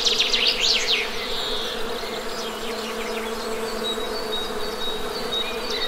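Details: A steady honey bee drone hums low and constant as a bird opens with a fast run of sharp rising-falling chirps, then fainter twitters and a thin high whistle.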